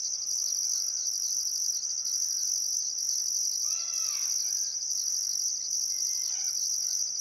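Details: Constant shrill cricket chorus at a riverside sunset in Welford National Park on the Barcoo River, Queensland, one still summer afternoon, with regular higher pulses and two brief bird calls near the end.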